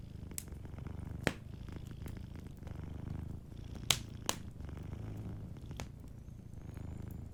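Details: A sleeping cat purrs gently beside a cozy fireplace, a low throbbing rumble that swells and fades in slow cycles, broken by a few loud snapping crackles from the burning fire.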